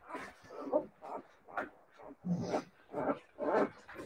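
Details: Several Siberian Husky puppies giving short mid-pitched yips and whimpers, one roughly every half second, each a brief tonal burst with a small rough edge.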